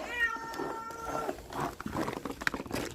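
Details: Stray cat out in a snowstorm crying for food: one long, loud, harmonic-rich meow that holds steady, then fades into gusting wind, scuffling and a sharp click as bowls are moved.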